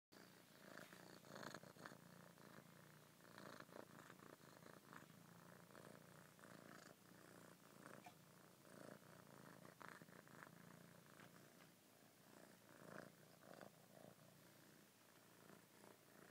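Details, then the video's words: Domestic cat purring steadily for the whole stretch, a soft low rumbling drone broken into quick grainy pulses, with slightly louder swells every second or so as the breathing shifts; nothing else clearly heard. "Purring Buddy"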